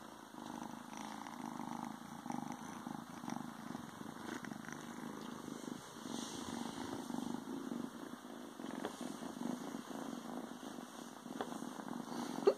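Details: Steady, deep purring from a male Ragdoll kitten tucked away inside a pair of pants a few days after joining the household, the rumble pulsing evenly and continuously with faint cloth rustles.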